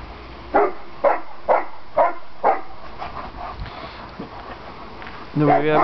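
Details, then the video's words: Landseer dogs (Aiko with sister Adina and mother Zindy) barking in play: five quick, punchy barks about half a second apart, then softer noises and a human voice speaking at the end. "Landseer play"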